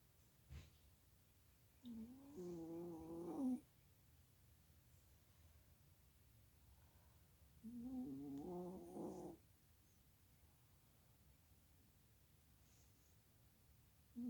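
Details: Sleeping chihuahua snoring indoors: soft, tonal, humming breaths about one and a half seconds long, wavering slightly in pitch and recurring roughly every six seconds over a faint steady background hiss.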